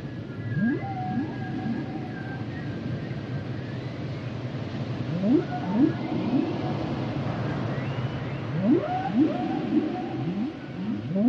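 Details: Song of a humpback whale: groups of quick rising whoops separated by quieter gaps, thin high held tones early on, and a continuous low oceanic rumble.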